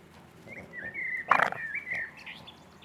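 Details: A six-week-old Boston Terrier puppy gives one long, high, wavering whine that dips and rises, broken midway by a brief louder squeal, then trails off softly.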